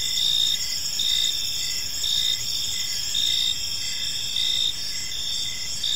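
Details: Evening chorus of crickets in a quiet park, several callers overlapping in a constant shrill whine, with rhythmic bursts of brighter chirps swelling roughly every second against soft low ambient hum.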